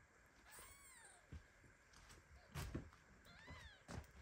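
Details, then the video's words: A baby kitten meows in protest, half asleep and shaking, while its mother cat lies down on top of it. Two thin, arched meows sound early and late, along with soft thumps and rustling of bodies. "Cutest meow."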